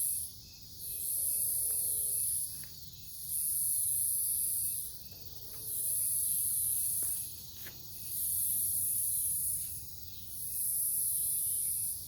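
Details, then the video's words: Cicadas singing at night in a forest near a farm in Omaha, Nebraska, dated 08 03 2021: a very high, hissing buzz that swells and fades in long pulses about every two and a half seconds, over a low rumble. "Forest near the farm at night, cicadas"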